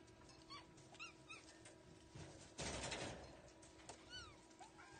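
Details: Kittens giving a series of short, high, arched mews, several quick calls in the first second and more near the end, with a brief loud rustling burst in the middle and a low steady hum behind.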